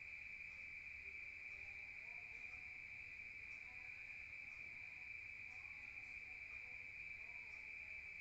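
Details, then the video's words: Rural crickets at night, heard from indoors: a steady, unbroken high-pitched trill with a faint upper overtone runs through the whole stretch, with no other clear sounds. "Rural Nature Sound of crickets at night"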